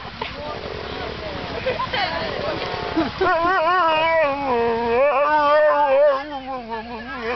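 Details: Saluki Bongo, who hates waiting for the lure coursing, breaks into a wavering howl after a few seconds of rough, noisy vocalising, the tone bending up and down in sustained, melodic waves.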